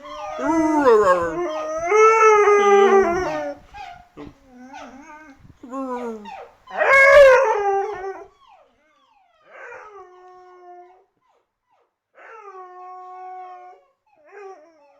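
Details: A Siberian Husky, living with a Labrador mate, howls and yodels in long, wavering, rising and falling cries in reaction to an annoying sound.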